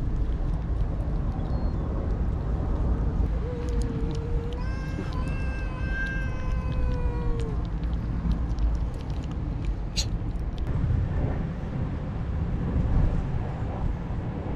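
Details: Motherless kitten, one of a litter found on the street 15 days ago and later brought home, being fed wet food: a single drawn-out, steady harmonic meow lasting about three seconds over a constant low rumbling background.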